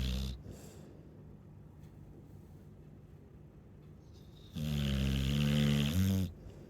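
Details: Chow Chow dog asleep and snoring, a brief rasp at the start followed by a quiet stretch, then one loud, buzzing, low snore lasting about a second and a half.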